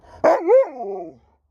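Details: Alaskan Malamute talking back to its owner, a single drawn-out woo-like howl-moan that rises, dips and wavers before falling away over about one second.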